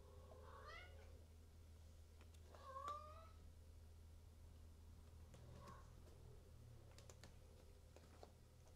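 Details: Silver Maine Coon cat at a Tokyo cattery, giving two short rising, harmonic-rich meows within the first three seconds, then a quiet indoor room with a low steady hum and scattered faint clicks.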